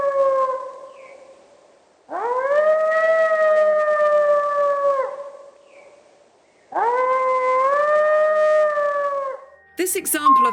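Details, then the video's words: Three-month-old gray wolf pup howling near the den site after hearing an adult howl, as a contact call: two short high howls, each rising quickly then held steady for about two and a half seconds, with a sharp noisy burst at the very end. "howling comes from a three-month-old pup that has just heard an adult howling near the densite"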